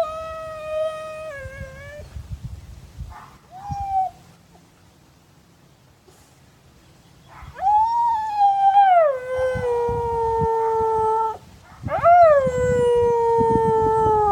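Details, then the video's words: Odin, a Siberian husky in Madison, Wisconsin, howls back at a neighbour dog barking down the street. A steady howl opens, a short one follows, then after a quiet gap come two long, wavering, falling howls. "Husky howls to neighbor dog down the street"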